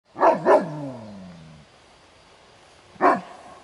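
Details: A Kuvasz named as the world's second Golden Kuvasz gives deep, loud territorial-defence barks during a guarding competition trial: two rapid, powerful barks with a trailing low growl, then a single further bark after a short pause.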